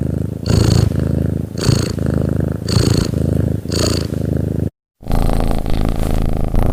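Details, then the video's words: Purring domestic cat, a continuous low vibrating rumble with rhythmic airy breath bursts roughly every second, a brief silent cut near the end, then steady purring. "SUARA KUCING MENDENGKUR BERNAFAS"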